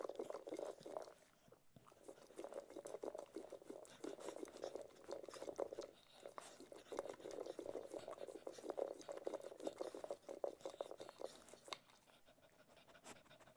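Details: Ted the Cocker Spaniel chewing food, a run of crunchy, wet mastication clicks in quick succession, pausing briefly near two and six seconds and fading after about twelve seconds.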